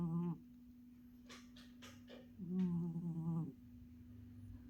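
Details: A pet cat named Oyen snoring: two low, buzzy, rasping snores, one short at the start and a longer one midway, with faint soft breaths between and a steady electrical hum throughout.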